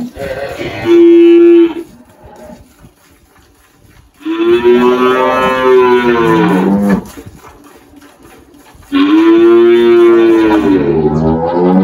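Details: Three loud, strongly harmonic moos from the 18-year-old spotted Girolando cow Malhada at a farm in Anápolis, Goiás, Brazil, 1 March 2023; each lasts one to three seconds, spaced a few seconds apart, the later ones long and bending downward.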